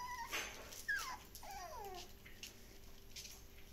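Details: Samoyed named Kaito, from a Shiba Inu and Samoyed breeder in the Netherlands, indoors with a play tunnel he loves; brief high whimpering yips, one sharp squeal, then a drawn-out descending whine over soft rustling and patter.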